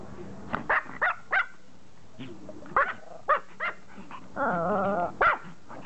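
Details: Pomeranian begging to play catch, giving a few sharp high barks, then a drawn-out wavering whine lasting about a second, followed by another yap.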